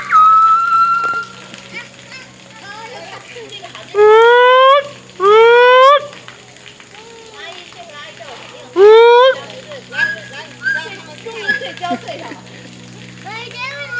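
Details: Two gibbons singing together: a few loud, rising whooping notes rich in overtones, two in quick succession midway and another soon after, over a steady low hum with faint voices in the background.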